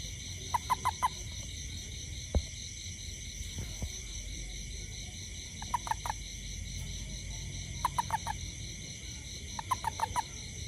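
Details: A toad near a home after rain, looking for ants, gives short bursts of three or four quick, hoarse pulses, repeated every couple of seconds over steady insects.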